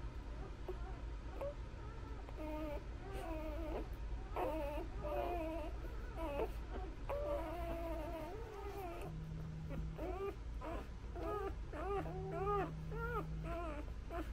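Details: Newborn Labrador Retriever puppies feeding from their mother's nipples, producing a long series of short arched squeals and whimpers, several pups calling over one another, with brief bursts of a low steady tone and a constant background hum.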